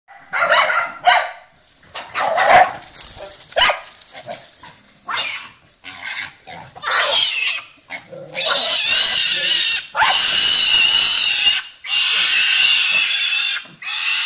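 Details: A pack of domestic dogs attacks a stray wild boar that wandered into a home: sharp, irregular barks burst out through the first half, then the boar's loud, sustained high-pitched squealing takes over.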